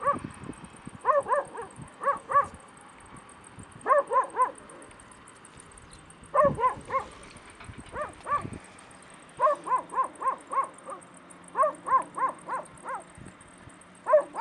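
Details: Stray puppies in Bursa, Turkey, giving clusters of short high yips and whimpers, several quick notes in each burst with brief pauses between, a faint steady hiss running throughout.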